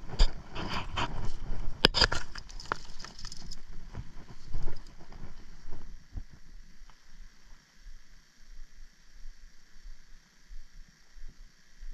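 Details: Outdoors, rustling footsteps and patter in the first seconds fade into quiet ambience with a faint steady hum.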